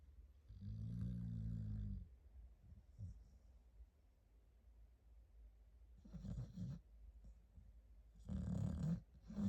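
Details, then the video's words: Staffordshire Bull Terrier puppy asleep, snoring: low rumbling breaths in separate bursts, one long snore near the start and two shorter rattling ones later, with quiet breathing between. "Snoring? Me? Nooo"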